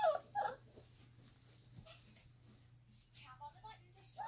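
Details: Alaskan Malamute puppies, three and a half weeks old, playing; brief high squeaky whimpers at the start and again near the end, separated by a quiet stretch over a steady low hum.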